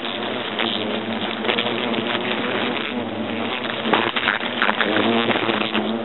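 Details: European hornets in a nest inside an oak trunk at Agen, France, during the nest's destruction: dense, continuous droning buzz with a broad hiss and a few sharper rises in intensity, heard throughout.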